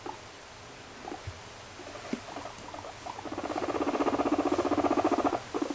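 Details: A female pet guinea pig, quiet at first with a few soft clicks. Then a fast run of low, buzzy, pulsed chirps begins about halfway through, rising in loudness and repeating rapidly before breaking off.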